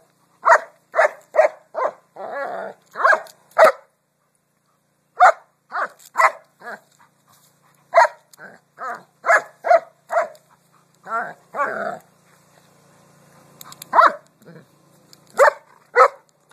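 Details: Jasper, a pet dog, barks at rocks: bursts of short sharp barks, often three or four in quick succession, broken by brief pauses and a few softer muffled woofs, in an otherwise quiet setting.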